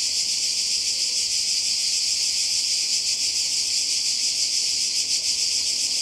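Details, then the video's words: Seaside cicadas in Croatia, summer 2020, produce an unbroken shrill buzz. The sound is a bright, hissing drone with a faint shimmering flutter and no pauses or changes in loudness. "Kroatien Zikaden und Meer"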